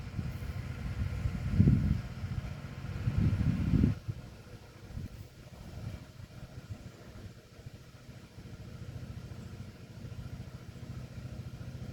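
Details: Low rumbling vehicle or engine noise, louder in the first four seconds then a steady quieter hum; no animal voice heard.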